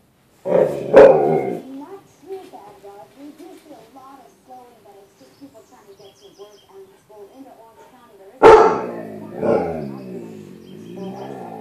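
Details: Dog indoors reacting to its own reflection in a closet door's glass as if to another dog: a sharp bark, then a long wavering moan-like vocalising, another loud bark, and a trailing drawn-out howl.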